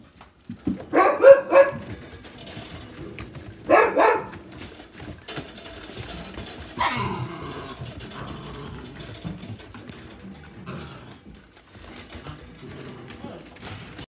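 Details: Japanese Terrier born on 8 August: a few short clustered barks and yips near the start, another burst around four seconds and a rougher one near seven, then quieter rustling and handling noise.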